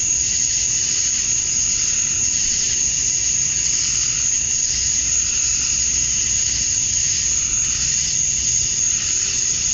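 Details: Cicada chorus at dusk on a summer night in Georgia, USA, the males chirping to attract females. Unbroken high, hissing drone with gentle rhythmic swells in a lower buzzy layer, nothing else heard.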